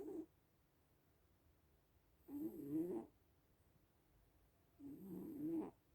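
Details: A small sleeping cat snores, giving three low buzzing breaths about two and a half seconds apart, the middle one drawn out and wavering, separated by near silence.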